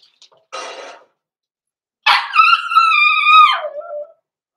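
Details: Indoor pen with six-week-old Cavalier King Charles Spaniel puppies Roman and Blue, blenheim litter born November 14, 2022: a soft rustling burst, then a sustained two-second whining cry that holds steady before dropping in pitch.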